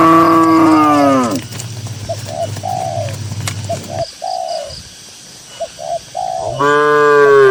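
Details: Cows in a herd of dozens on a green pasture; a drawn-out moo fades downward at the start and another begins near the end, with repeated soft bird coos and a low rumble in between.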